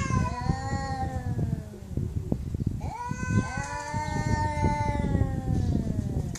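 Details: Domestic cat giving angry, wavering meows over heavy low rumbling and tapping noise, two long cries with a sharp onset near the middle.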